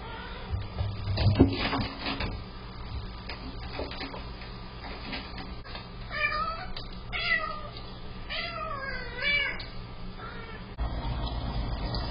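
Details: House cats alone at home, filmed by an indoor cat camera, give a cluster of long, bending meows in the second half, some rising then falling in pitch, while their water fountain, clogged by food, hisses loudly throughout.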